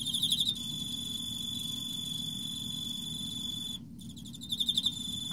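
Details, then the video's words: Emma field cricket in autumn: clear pulsed chirps open and close a sustained high metallic trill, broken by one brief pause, with a faint low hum beneath. "エンマコオロギ 秋 綺麗な鳴き声"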